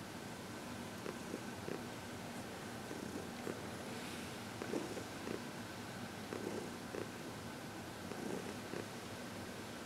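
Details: Senior cat Heidi, fourteen years old and once a long-term Humane Society of New York City resident, purrs through a massage and reiki session; even, low vibrating purr pulsing steadily in a quiet room.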